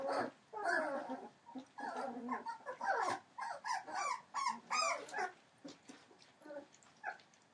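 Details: Entlebucher Mountain Dog puppies aged 21 days, born 28 December 2013 to Shadow and Falk vom Kornried, heard more quietly: a string of short whines and mewing squeaks over a faint background hiss.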